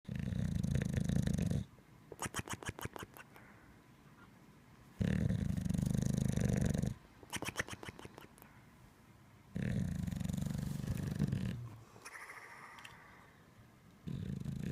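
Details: Bulldog in deep sleep, snoring: loud, low, rasping inhalations lasting about two seconds each, separated by quieter stretches of rapid clicking, fluttering breath, repeating steadily.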